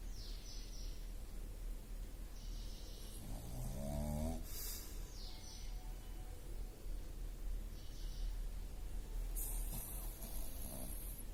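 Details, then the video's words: George the pug asleep and snoring: a rasping, buzzy snort with stacked rising tones near four seconds, softer breathy snuffles returning every couple of seconds, over a steady low background hum. "George The Pug Snoring - Pug Sleeping"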